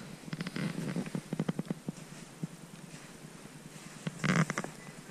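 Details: A red deer stag roars in the bush just off a riverbed as it gets dark during the rut: a run of deep, throaty grunts followed by a gruff burst.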